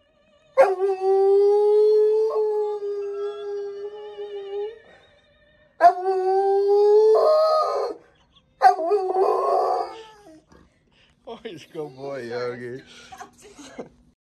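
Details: A Rottweiler howls in long, sustained tones that waver and slide, broken by short pauses, singing along to Ave Maria.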